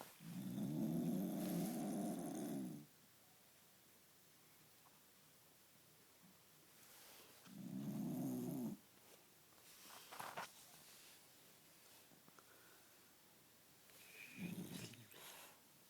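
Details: Cookie, a dog, asleep and snoring: three low, rasping snores, the first long, the second shorter, the last soft and brief, spaced several seconds apart with quiet stretches and small rustles between.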